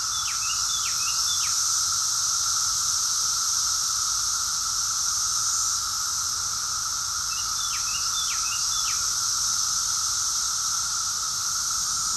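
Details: A steady, high buzzing chorus of cicadas in June 2021 in Rockville, Maryland, USA, with a few brief bird chirps on top.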